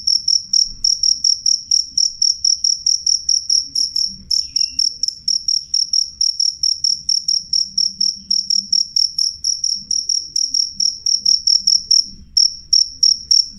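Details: Loud, clear jangkrik call: rapid shrill pulses on a steady high pitch, about four per second, running almost unbroken for over thirteen seconds with a brief gap near the end; faint low hum beneath.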